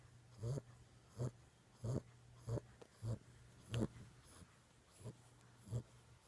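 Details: Boxer puppy of six weeks, asleep, snoring softly in quick rhythmic snorts a little faster than once a second, low and nasal, with a faint steady hum in the room.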